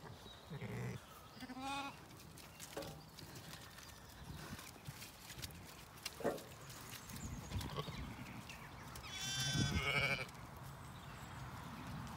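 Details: Zwartbles lambs, BigEars among them, on a regenerative farm in County Kilkenny, Ireland, bleating in the evening while the ewes eat a meal: short harmonic bleats early on, then a louder wavering bleat near the end, over steady munching and rustling with faint birdsong.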